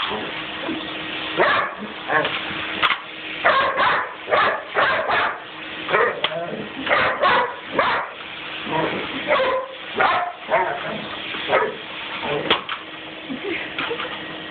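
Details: Gracie, a Weimaraner that has a love-hate relationship with the vacuum cleaner, barks repeatedly in loud, rough rapid runs with brief pauses, fighting the running vacuum whose constant mechanical hum drones underneath throughout.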